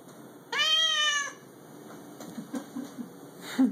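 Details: Pet cat indoors, annoyed after hearing a recorded cat meowing, gives one clear drawn-out meow lasting under a second, steady then slightly falling, followed by quiet room noise and soft shuffling.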